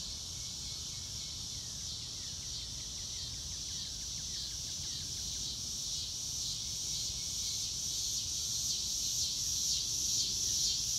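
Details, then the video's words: Crickets chirping in a steady high band, joined early by a fast run of rhythmic pulses and later by sharp, bright bird notes as the overall sound slowly grows louder. "Nature Sounds - Real Time - No Music - Meditation - Crickets"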